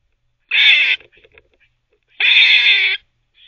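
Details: Squirrel multitasking, barking and teething at once: two long, grating, broadband barks about one and a half seconds apart, with soft scratchy chewing-like ticks between them and no other sounds.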